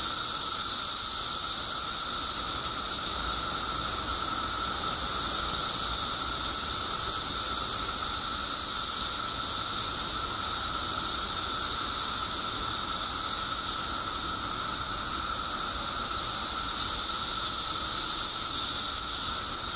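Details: Illinois periodical cicadas in their 17-year mass emergence: a relentless shrill hiss that swells and eases slightly over twenty seconds, carried alongside a steady whining tone.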